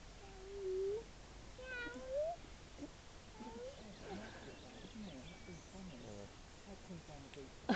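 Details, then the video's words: A seal held at Mablethorpe seal sanctuary keeps up odd vocal noises: two drawn-out, rising, nasal moans, then a scatter of shorter wavering squeaks and grunts. Visitors talk nearby, and a loud clatter comes at the very end. "Seal Makes Funny Noises"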